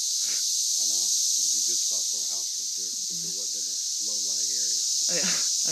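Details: Periodical cicadas (17-year brood) in Oklahoma on June 9, 2013, in huge numbers, fill the air with a continuous, shimmering high drone likened to static or ocean waves, far louder in person; two people chat over the unbroken chorus.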